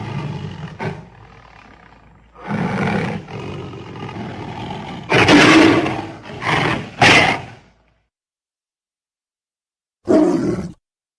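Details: Tiger giving a series of broadband roars and growls, several bursts of varied length in the first eight seconds, then silence and one last short roar near the end.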